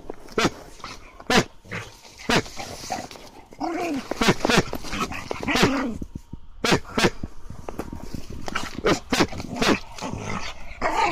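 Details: A Hokkaido dog (Ainu dog) (Canis lupus familiaris), excited by a command and playing with a brown bear paw, barks in sharp, repeated bursts, with a few drawn-out whining notes between them.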